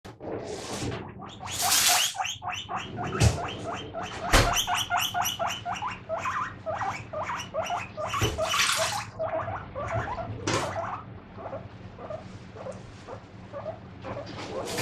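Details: Pet guinea pig squeaking "pui pui" while dishes are washed nearby: a steady run of short, bright, buzzy squeaks, several per second, broken by sharp clinks and clatter of dishware.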